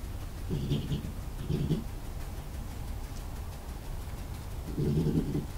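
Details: Young male European badger named Jerry, cornered under a barn by Ed, the alpha male, in Somerset, England, 20 March 2018, on an IP camera: low rhythmic growling grumbles in three bursts, a quiet gap before the last.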